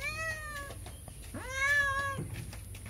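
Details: Cat passing by the edge of a house, meowing to beg for food: two clear harmonic meows, a shorter one followed after a brief pause by a longer one that rises and then holds steady, over low background hum.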